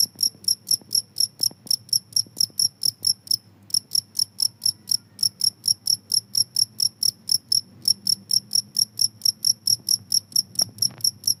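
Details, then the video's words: Long run of shrill cricket chirps, said to chase rats away, pulsing roughly twice to four times a second with two brief pauses, over a faint low hum and scattered soft clicks. "suara jangkrik ampuh bisa mengusir tikus"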